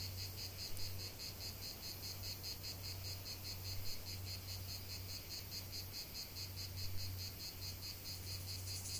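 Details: Cicadas in nature give a high, rapidly pulsing buzz, while a low droning hum starts and stops repeatedly underneath.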